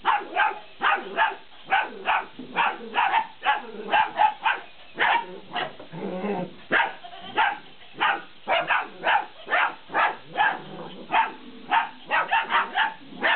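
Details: Fifty-day-old Malinois puppies at play with a laughing cat toy, giving a rapid, nearly continuous run of shrill yips and barks, several per second, with a brief lower, rougher stretch near the middle.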